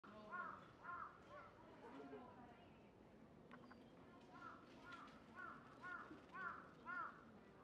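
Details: Japanese raccoon dog at Nogeyama Zoo, giving faint, short whining calls with bright harmonics, clustered in quick bursts of two to four notes, with a quieter pause midway and a soft background hum.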